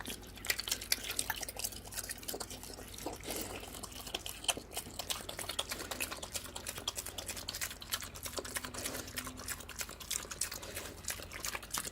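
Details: Wet dripping, stirring and slurping liquid noises in a small room, with no clear animal call.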